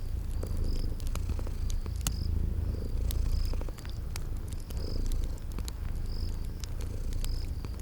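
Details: Purring from sleeping cats, mixed with a crackling fire in a cozy spring garden scene; a continuous deep purr rumbles beneath bright snapping crackles and a regularly pulsing high cricket chirp.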